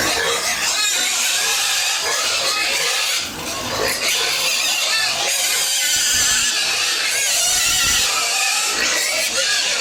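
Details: Pigs, including piglets, on a farmer's home farm around feeding, give a dense, continuous chorus of high, harsh squeals and grunts, overlapping without pause, with some human voices faintly mixed in.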